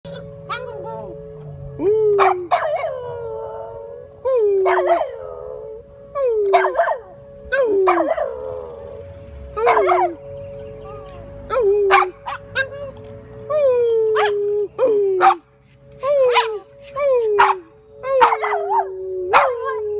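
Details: A Boston Terrier howls at an emergency siren, giving repeated drawn-out howls that slide down in pitch with a yodelling waver while the siren holds a steady, sustained wail.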